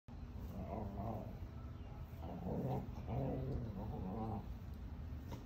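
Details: Two rescue Weimaraners getting back scratches in the yard give low, rumbling, contented groans and grunts in a few drawn-out bursts.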